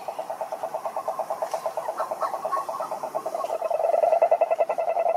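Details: Toads croaking in a dense chorus, a rapid train of pulsed, throaty notes at a steady mid pitch, roughly three to four per second, growing louder and more overlapped toward the end.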